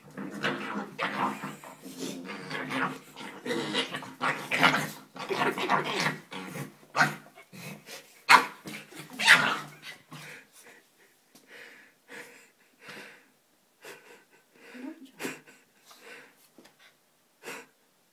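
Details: Two playing Staffordshire Bull Terrier puppies making funny noises: a long run of throaty, rumbling growls for about ten seconds, then short separate yips and grunts about once a second, with a brief voice in the background.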